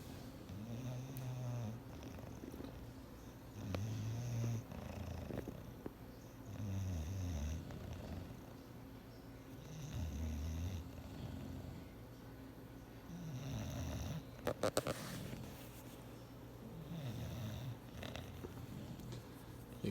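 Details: Bulldog Clyde, asleep on a chair he's been told to stay off, keeps snoring in rumbling, rattly breaths every two to three seconds; a short clatter midway.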